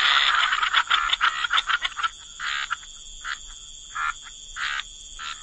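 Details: Wetland frog chorus at the water's edge: a fast run of rattling croaks at first, then slower, spaced raspy croaks about every half second to second, over a constant high-pitched background drone.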